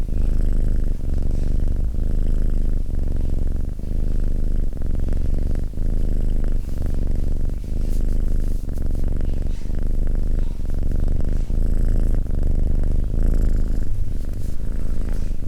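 A domestic cat purrs steadily, a low continuous rumble that swells and eases with each breath.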